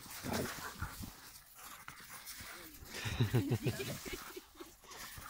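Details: Dogs in a confrontation between a Vizsla and a Caucasian or Central Asian shepherd: harsh, low, broadband bark and growl bursts, a short cluster early and a denser rapid run mid-clip, with panting-like noise between.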